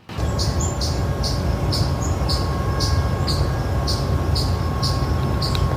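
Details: Eastern chipmunk in the eastern US sits up giving its repeated, bird-like alarm call, sharp high chips about two each second, over a steady low rumble.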